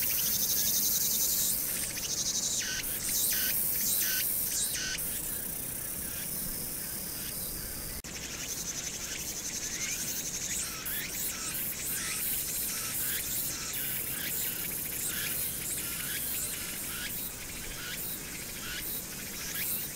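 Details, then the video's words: Cicadas in a dense, high buzzing chorus pulsing steadily on a summer night, 1 August 2019, on Hwangnyeongsan mountain, recorded against background city noise. "[자연의 소리] 황령산(Hwangnyeongsan)의 여름 매미소리(ASMR)와 함께 보는 야경_매미 소리 멍때리기"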